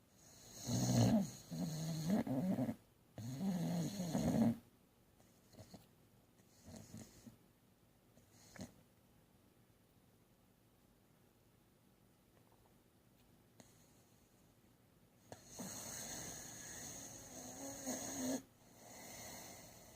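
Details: Snoring from Bubbles the cat: two rough, rumbling snores in quick succession open, then a long near-silent stretch with faint clicks, before a softer, breathy snore returns near the end.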